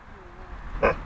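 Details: Young Alaskan malamute named Willow, under 20 weeks old, urged repeatedly to talk and speak, gives one brief low grumbling vocal sound near the end, with a person's coaxing voice around it.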